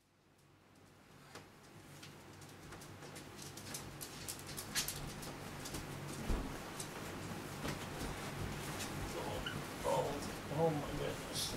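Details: Dog named Mister Leonard waking its owner in the morning with hugs and kisses: soft whimpers and short whiny yelps repeated irregularly over a steady low rumble of room noise.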